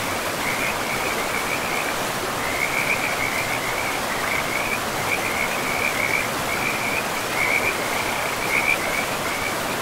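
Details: Frogs calling in a pristine forest beside a river: continuous high trilled pulses in rippling bursts of about a second, nearly unbroken throughout, over a steady broadband rush of flowing water.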